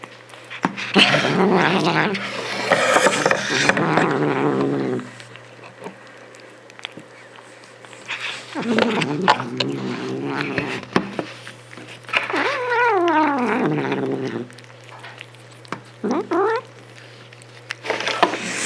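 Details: Cat making noise while eating: drawn-out, wavering moaning calls in bursts separated by quiet pauses, some sliding steadily downward in pitch, with a few short clipped sounds near the end.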